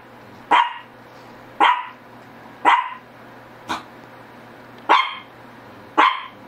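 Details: Six crisp barks from a Shih Tzu, spaced roughly one second apart, each a brief punchy yap with a quick decay; a faint constant low hum runs underneath.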